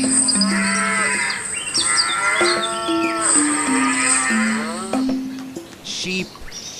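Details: Cow lowing in several long, wavering moos, each rising and falling, with music playing underneath and a brief higher tone near the end.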